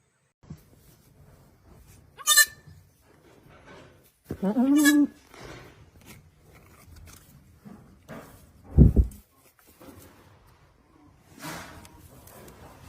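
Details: Goats calling while grazing and feeding on a farm: a few short bleats scattered over the clip, one wavering and harmonic, with a loud low thump, rustling and background noise.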